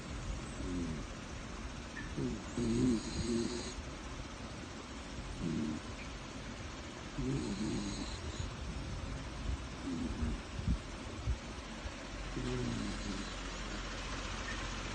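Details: A sleeping dog snores steadily. Low rumbling snores come in regular bursts about every two to three seconds over a constant background hiss.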